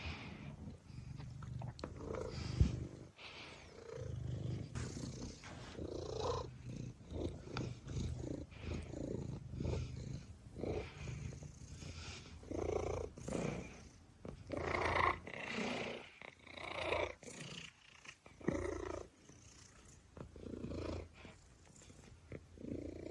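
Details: Gray fluffy domestic cat asleep on its back with tongue poking out, giving soft rhythmic snores with a low purring rumble, each breathy rasp recurring roughly every one to two seconds in a quiet indoor room.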